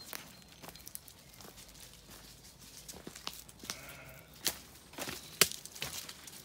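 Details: Sheep on a farm in County Kilkenny, Ireland, at sunset after feeding, a lamb calling and a ewe answering as they settle for the night; a quiet harmonic bleat mid-clip among scattered clicks and rustling footsteps.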